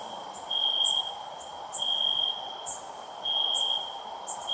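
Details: High, ringing cricket trill pulsing louder about every 1.4 seconds, the bursts separated by quieter continuous tone and a low hiss.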